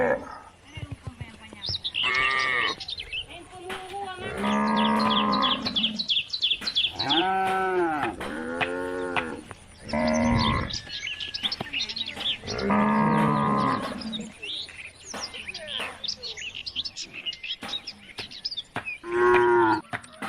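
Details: Cattle roaming country roads, calling the herd home to the barn; repeated arched, harmonic moos of varying pitch follow one another closely, mixed with bleat-like sounds and a faint constant high whine.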